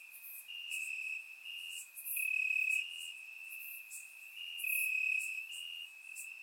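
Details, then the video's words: Crickets chirping in grass after dark on a warm summer night, Bulgaria; a high unbroken trill swells and softens, with louder shrill bursts near the start and middle, surround recording. "Cricket Sounds - Crickets Chirping at Night"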